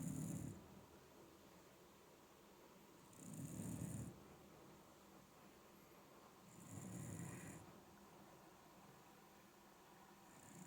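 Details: Snoring from an older Shiba Inu, described as snoring more as the years pass: throaty low snores with airy hiss, roughly one every three and a half seconds, with quiet pauses between in a still indoor space.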